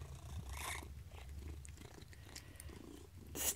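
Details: A female Maine Coon cat eating treats from her owner's hand purrs with a low, steady rumble, broken by brief chirps and chewing noises.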